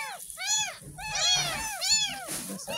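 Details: A 10-day-old kitten, rescued from a roadside gutter, mews during its first bath: high arched cries, about five in under three seconds, with harmonic overtones and splashing and soft talk behind.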